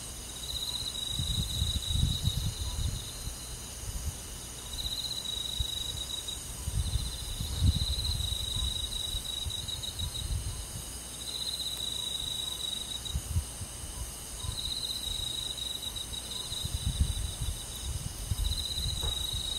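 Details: Crickets calling through a summer night in a country forest, high trilled phrases repeating every few seconds amid a constant insect hiss, interrupted by bursts of low rumbling noise.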